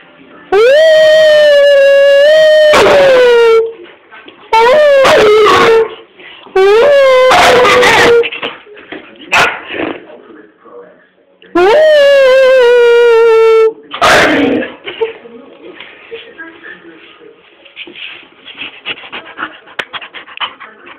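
An Alaskan Malamute gives long, wavering howls that fall in pitch at the end.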